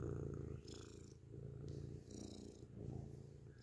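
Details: Grey domestic cat purring loudly up close indoors: a steady low rumbling purr in cycles, each inhale and exhale phase about half a second to a second long, with faint soft rustles above.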